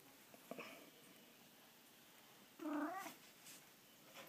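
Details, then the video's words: Soft-spoken pet cat at home meows once, clearly: a brief harmonic call that bends upward and falls away within half a second, preceded by faint rustles and followed by a few soft taps. "makes cute kitty sounds!"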